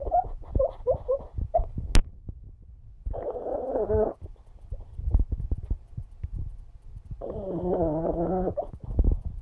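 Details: Alfie, a pug, asleep and dreaming indoors: low snuffling rumbles broken by two longer whiny, harmonic whimpers of about a second each, with short squeaky yips near the start.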